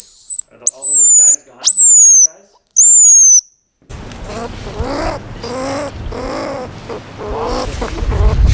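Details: A baby squirrel gives thin, very high squeaks that slide downward, followed by a person talking.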